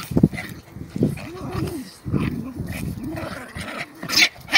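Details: German Spitz mother disciplining her disrespectful puppy, giving low rumbling growls in short arched bursts about once a second, with scuffling and a few higher yelps between them.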